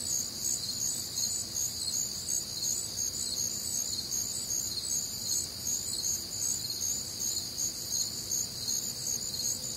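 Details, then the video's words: Night chorus of crickets recorded on a warm, humid Midwestern summer night: many overlapping high-pitched pulsing trills, unbroken throughout, over a soft low rumble. "Night Time Cricket Sounds"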